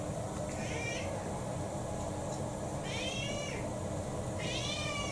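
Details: December 2022, a domestic cat named Kou-chan, around six, mixed breed with a pedigree, holding out against dinner: three plaintive meows, the last two longer and louder, against a low steady hum.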